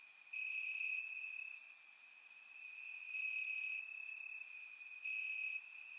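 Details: Warm summer night in Bulgarian grass, crickets singing: one continuous shrill trill that strengthens and fades in broad waves, while brief bright clicks from further insects pop up above the droning chorus.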